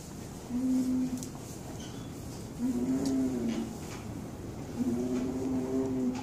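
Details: A male alpaca (Vicugna pacos) on a ranch hums in low, steady tones, three drawn-out complaints about being shut in a small 10 by 10 stall.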